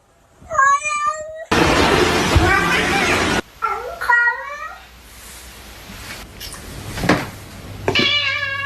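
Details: Domestic cats meowing in a 'talking' manner: a harmonic meow near the start, a loud rough noise burst, then short bent meows and a final meow at the end, with a person's speech and music between.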